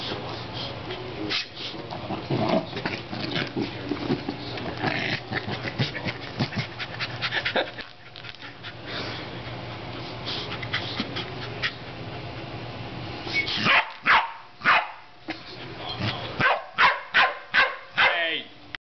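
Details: A playful corgi attacking an air pump makes a rapid run of excited yips, whines and pants, ending in sharp repeated barks.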